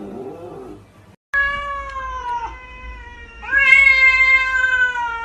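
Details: House cat producing two drawn-out meows, the first starting abruptly after a brief silence and dipping slightly, the second louder and rising sharply at onset before settling and slowly falling.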